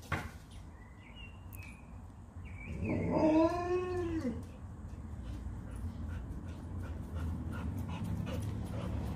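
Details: Leonberger play fighting with a Labrador, Montana and Lola: a drawn-out, harmonic, arching whine-like vocalisation lasting about a second and a half mid-clip, over steady scuffling, with small birds chirping in the background.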